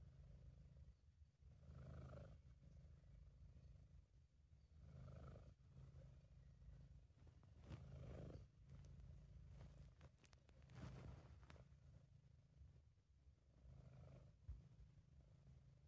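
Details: A relaxed, contented British Shorthair named Sabu purring in an amateur home recording. A long low drone pulses with slow breaths roughly every three seconds, with a few faint clicks and rustles in between.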